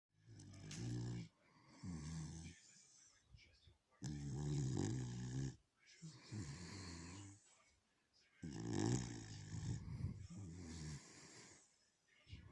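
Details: Sleeping beagle snoring: deep, rumbling, harmonic-rich snores in long drawn-out pulses, about four heavy breaths with quiet pauses between, indoors.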